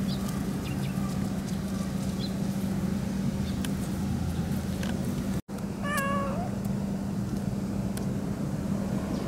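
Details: Pero-chan, a cat who turns up to drink milk, recorded on 26 September 2015 as night falls on a moon-viewing evening; one short, clear meow with a slight bend comes about six seconds in, after a faint earlier mew, over a steady low hum and background noise.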